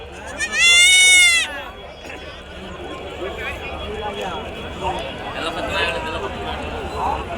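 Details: Sheep at the Nallapadu sheep market in Guntur, where rams are traded. One loud, wavering bleat sounds near the start, followed by continuous conversation among people bargaining.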